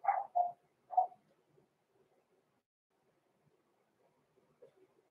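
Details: Six-week-old blenheim Cavalier King Charles Spaniel puppies, Roman and Blue, born November 14, 2022, in an indoor home puppy pen: three quick, high yappy barks within the first second, then near quiet with faint rustling and a soft late whimper.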